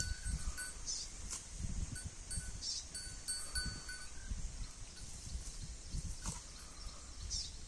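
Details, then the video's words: Holstein Friesian cow eating grass: low, rhythmic munching and tearing bursts recur roughly every half second, with a steady high insect or bird hum and faint tonal chirps behind, plus an occasional sharp click. "HF cow eating grass"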